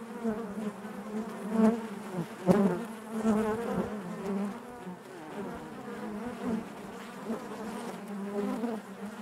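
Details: Steady low hum of a honey bee colony within the hive, a thick layered drone broken by occasional clicks and louder close buzzes that quickly fade back into the mass.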